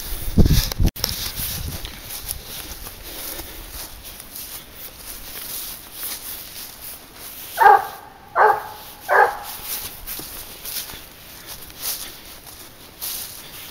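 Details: Garuo, a 22-month-old hunting dog on a leash, tracking wild boar: after a loud knock at the start and a long quiet stretch, three spaced, hoarse barks come in a quick run near the end.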